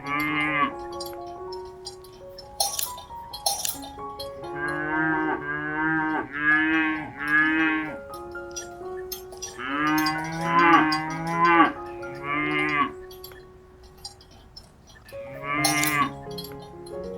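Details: Repeated cow moos, several close together in rapid bursts and a drawn-out series midway, set against steady cowbell-like ringing tones and occasional metallic clinks.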